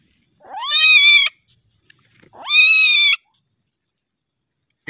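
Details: Very aggressive young common palm civet at night, later set free again: two loud, drawn-out, strongly harmonic screams, each rising quickly then holding steady for under a second, separated by a short pause.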